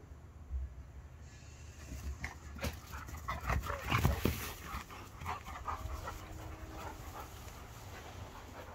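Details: Dog panting during a staredown between Archie, a two-year-old Irish Setter, and Hercules, a five-year-old Border Collie x Kelpie x Blue Heeler; uneven breathy bursts, loudest around the middle, over a steady low rumble.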